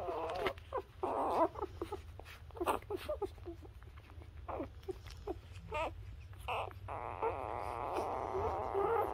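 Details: Newborn Labrador Retriever puppies nursing on their mother let out scattered short squeaks and whimpers, ending in a longer, louder wavering whine, with low hum and rustling throughout.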